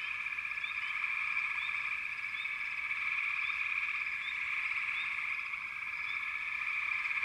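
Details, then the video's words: Massed frogs keep up a constant vibrating trill, with scattered quick rising chirps every second or so above the dense calling. "Frogs - Nature Sounds"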